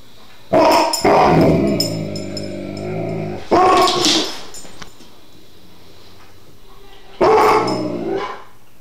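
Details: An Alaskan Malamute, spooked by a vase he has always lived with, gives low, rumbling growls that break into sharp bark-like bursts.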